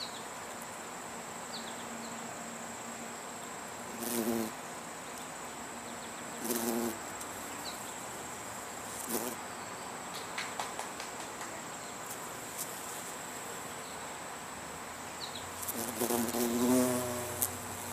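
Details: Bee collecting pollen: brief low buzzes from a passing insect rise and fade several times, near four, six and a half, nine and sixteen seconds, over a steady high insect hiss and quiet outdoor background.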